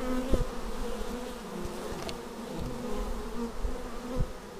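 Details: Bees flying in to their hive, caught on a Xiaomi Yi action camera: a dense, low humming drone with short tonal buzzes sliding in and out as individual insects pass.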